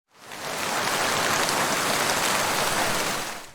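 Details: Steady rain-like hiss of broad noise that fades in and out, with no animal voice.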